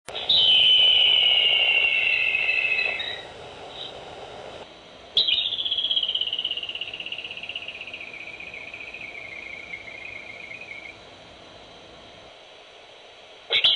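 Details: Groundhog whistling near its burrow in a barn, picked up by a baby monitor: a long, high, slowly falling whistle lasting about three seconds, then a second descending whistle of about five seconds, with faint hiss behind.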